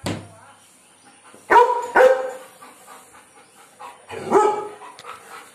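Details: A German Shepherd barks at birds, giving loud, harsh barks in short bursts with brief pauses between them.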